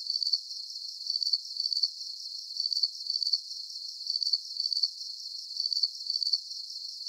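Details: Calming cricket chirping for sleep: bright, high-pitched pulsed chirps grouped two at a time, repeating at an even pace of roughly one pair every one and a half seconds, with soft background hiss.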